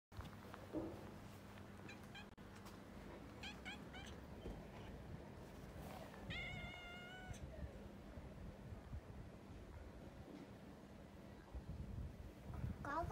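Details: Female cat met on a walk, stuck up a tree and trying to climb down; faint short meows early, then one clear drawn-out falling meow near the middle, with people talking and outdoor background noise.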